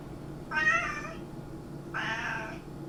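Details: A cat utters two drawn-out, moderately loud meows about a second and a half apart, with a steady low indoor hum behind them.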